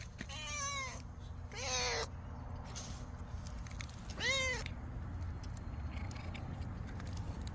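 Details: Domestic cat vocalising while eating, the murmuring 'nom-nom' mewing heard during a meal: three short arched, harmonic mews about a second apart, then a pause, over a steady low rumble and faint clicks, with a man's voice nearby.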